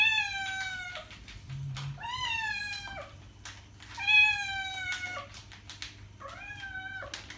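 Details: Domestic cat sounds for drawing cats' attention: four sustained, strongly harmonic meows, steady in pitch with a slight downward curl at the close, with faint clicks between them and a low background hum.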